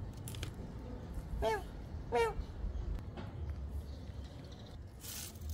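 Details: Cat meowing: two short, clear, tonal meows about half a second apart, each arching up then dropping, over a low background hiss with a few faint clicks and scrapes.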